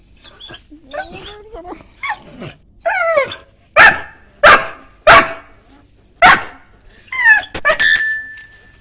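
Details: Pet dog barking sharply five or six times in a loose run, short explosive woofs about half a second to a second apart, with human speech and laughing voices at the start and end.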